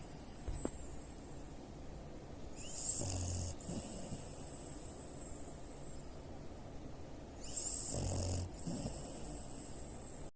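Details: Booming snores from a three-year-old French Bulldog x Pekingese cross lying with open eyes; two rasping, snorting bursts about five seconds apart, each nearly a second long, separated by quiet steady breathing.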